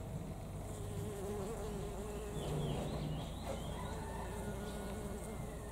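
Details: Honey bees gathering at knotweed flowers beside a house in Thailand: a steady, low wavering hum with a faint fluctuating tone, while brief high bird chirps flick past mid-recording.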